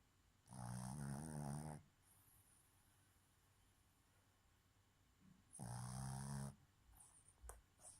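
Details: Boston terrier female sleeping and snoring while her eyes stay open: two strong, throaty, rattling snores, each over a second long, separated by a quiet pause of several seconds, then faint clicks.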